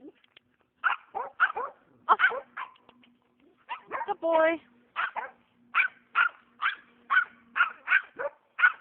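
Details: Oregon Norrbottenspets on a squirrel hunt, firing off rapid high yaps in clusters, with a brief buzzy voice-like sound midway and a continuous low hum.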